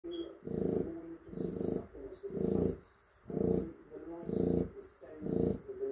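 A Chow Chow snores in deep, rasping pulses, about one breath per second.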